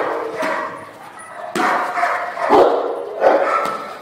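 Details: Cane Corso named Santo during bark and hold training, barking in heavy, uneven bursts that rise in loudness toward the end, with a sharp knock partway through.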